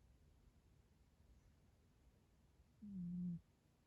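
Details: Yo-chan, a sleeping rescued cat with a kinked tail, gives a sudden loud snore indoors: a single low, steady, droning tone lasting about half a second, rising out of a quiet room hush near the end.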